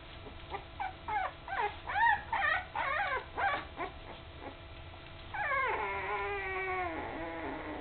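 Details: Puppies almost three weeks old, eyes just opened and starting to walk wobbly, beside their mother Candy: a quick run of high, falling whimpers about twice a second, then one long drawn-out descending whine near the end.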